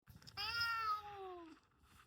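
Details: Domestic cat giving one drawn-out meow of about a second, richly harmonic and slowly falling in pitch. It starts after a short rustle and trails off into quiet indoor background.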